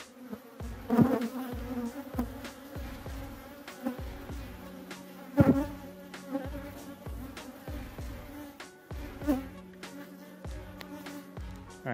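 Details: Buzzing of European hornets at a beehive they raid, killing the honeybees; a low even tone comes and goes over the constant hive hum, broken by repeated dull knocks and taps.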